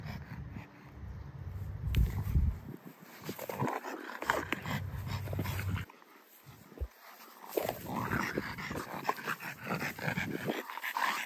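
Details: Playful tussle between a French Bulldog and a Great Dane over a ball, with intermittent low growls, huffs and snorts separated by brief pauses, plus scrabbling noise throughout.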